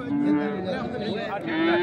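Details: Young calf (cattle) at the Thursday livestock market in Aswan, Egypt, 15 February 2024, offered for sale; a drawn-out moo with steady stacked harmonics, rising slightly at the end, amid market chatter.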